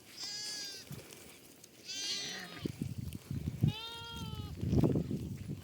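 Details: Lambs running on a farm bleat three times, wavering and harmonic, about two seconds apart, while low thumping footsteps and rustling grow louder beneath them.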